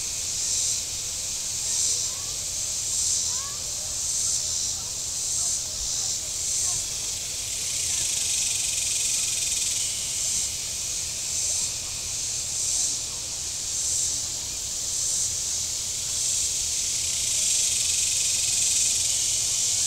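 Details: Pulsing cicada chorus from the shore of Table Rock Lake in southern Missouri on a hot day, the high rasping buzz rising and falling in repeated surges about once a second or so, over a quiet low hum of lake boating.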